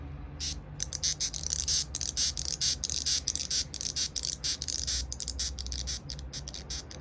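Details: Longhorn beetle, white-striped, threatening intensely when approached by a hand, stridulating with its neck organ, evening of 11 July 2021; loud, sharp, squeaky rasps in quick uneven bursts, roughly two per second, against faint low background hum.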